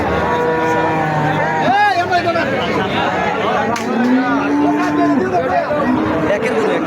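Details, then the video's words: Bull at Srighar market, lowing with drawn-out, steady moans, one long low moo near the middle ending abruptly, amid constant busy market chatter, voices and vehicle noise. "শ্রীঘর বাজারের ষাঁড় গরু।"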